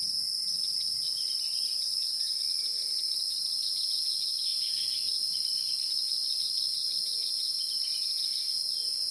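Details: A dense, piercing, high-pitched insect drone from the wild rings on without pause, even and sustained, over a quiet background with a few faint soft chirps.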